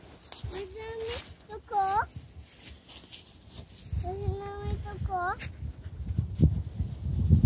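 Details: Pembroke Welsh Corgi giving two drawn-out, steady mid-pitched whines, each ending in short sharply rising yelps, with low rumbling handling noise and thumps toward the end.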